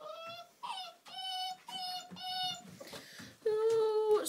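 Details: Old English Sheepdog pups, six weeks old, playing: a series of drawn-out, steady whines, each about half a second long, with a quick upward squeak between them and a longer, lower whine at the end.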